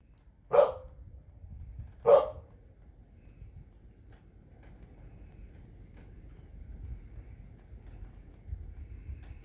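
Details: A 14-year-old dog barking at snow gives two sharp, single barks about one and a half seconds apart, followed by quiet with only a low background rumble.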